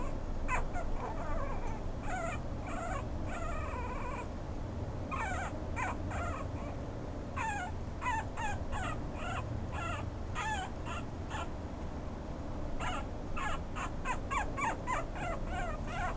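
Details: Pomeranian-Chihuahua mix dog making rapid, high, thin yipping and whimpering calls in repeated bursts, with short pauses between them, over a loud, constant low rumble.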